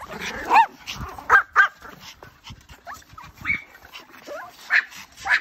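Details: A dog giving short, high-pitched yelps and barks in irregular bursts, about eight within a few seconds, with quieter gaps and faint human sounds between them.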